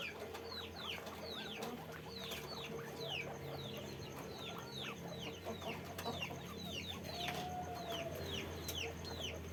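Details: On a guinea pig farm, numerous animals utter short falling squeaks in an almost continuous stream, with a few sharp clicks and one drawn-out thin whistle near the end.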